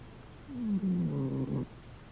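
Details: Senior female dog asleep, snoring away like a freight train; one low, rough, drawn-out snore with a slightly falling pitch, lasting about a second, in a quiet room.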